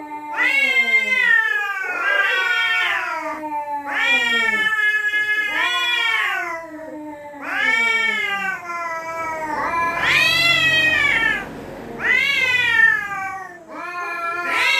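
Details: Territorial cats threatening each other at night: long wailing yowls that rise and fall in drawn-out harmonic cries, several overlapping, with a louder, higher shriek near the middle and little background noise.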